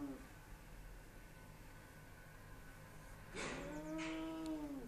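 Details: Bengal cat named Spooky, facing a neighbour's Persian cat through glass, lets out one long descending yowl after a few seconds of quiet room hum and a couple of brief scuffing noises.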